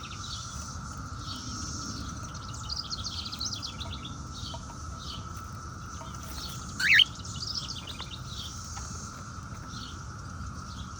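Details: 17-year periodical cicadas hold a steady, droning chorus, broken by a sharp chirp from a pet cockatiel being readied for a walk in its stroller.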